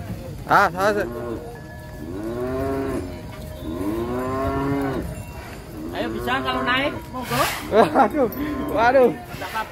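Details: Unusual huge cattle at a contest, coming off a truck, lowing repeatedly: a string of loud arching moos about every two seconds, some rough and quavering, with people and brief laughter behind.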